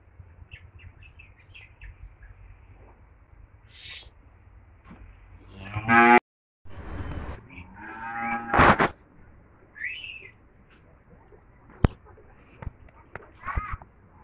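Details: Cattle on a farm in Homna, Cumilla, Bangladesh, where cows and twin heifer calves are offered for sale: two drawn-out, low, rich moos of about a second and a half each come midway, with faint bird chirps and a few sharp knocks around them.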